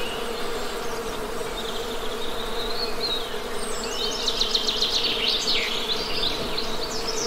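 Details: Western honey bees droning in a smooth, sustained hum; partway through, a lively burst of high bird chirps and rapid trills rises over the buzz.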